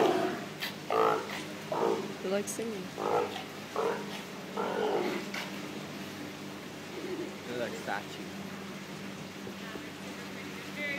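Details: A sea lion at Vancouver aquarium "singing", a run of hoarse honking bursts roughly one per second over a steady low hum.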